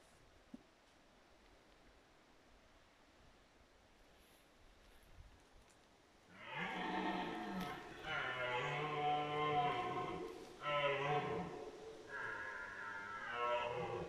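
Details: Red deer stag roaring during the 2022 rut: after six seconds of quiet ambience a long, hoarse, deep roar with rich harmonics starts, then continues in loud, throaty bursts with short breaks until the end.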